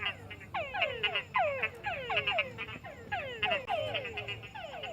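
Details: A chorus of frogs croaking at night in a swamp, giving quick, downward-sliding croaks that overlap and repeat in rapid succession.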